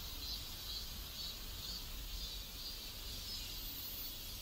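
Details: Cicadas chorusing in a residential neighborhood in South Korea: a continuous high, hissing buzz that swells and fades in soft pulses about every half second, over a steady low rumble of background noise.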